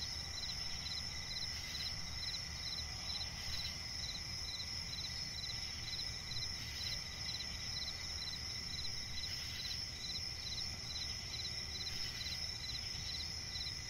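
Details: Night-time cricket chorus in a swampy forest, where brisk high chirps repeat in quick regular bursts above an unbroken high-pitched trill and a soft low-frequency rumble.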